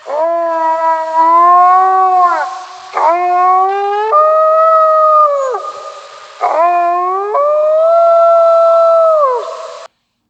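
Drawn-out wolf howls rise sharply, hold steady, then slide down, with a second voice layering a higher, wavering tone. Each howl lasts several seconds before a brief pause and a fresh start.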